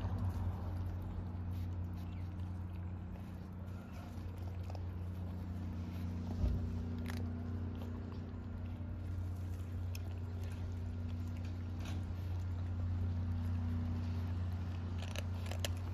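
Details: Stray cat among the hungry Istanbul street cats waiting for food, giving a long low droning purr that holds steady throughout, with light clicking and chewing-like noises and distant traffic hum.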